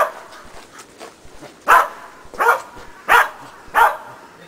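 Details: Sheltie Preston in agility running contacts training with a box and jump grid, four sharp barks spaced well under a second apart after a quiet start, faint voice in the background.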